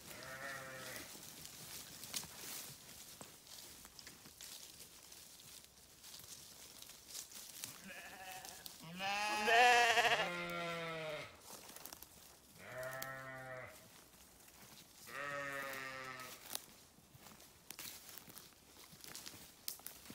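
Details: Sheep bleating several times in loose succession, each call a wavering, nasal baa lasting about a second, the loudest near the middle, with quiet gaps of faint background noise between calls.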